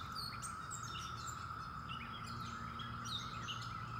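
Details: End-of-May chorus of 17-year cicadas, a constant monotone drone running under busy, overlapping bird chirps and twitters.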